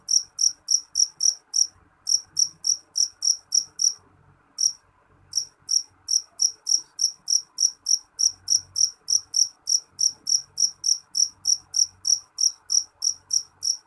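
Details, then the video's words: Loud, shrill chirps from a jeliteng cricket, each pulse bright and high, repeated roughly three times a second, pausing briefly near the fourth second before the steady train resumes; faint low background hum. "Suara jangkrik jeliteng nyaring"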